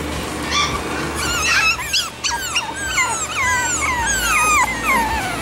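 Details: Chihuahua puppies offered for sale in Edmond, Oklahoma: a run of high, squeaky whines and squeals, several overlapping, each sliding down or bending up and down in pitch, with a steady low hum beneath.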